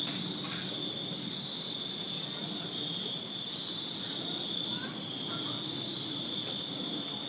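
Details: Crickets chirp without pause in a backyard in Virginia on a summer night, a uniform high ringing trill, with brief faint chirps from another small creature breaking in over it.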